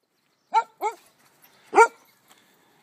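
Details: Welsh Springer Spaniel barking while out on a walk in June 2013: two quick sharp barks in close succession, then a pause and one louder bark, in otherwise quiet surroundings.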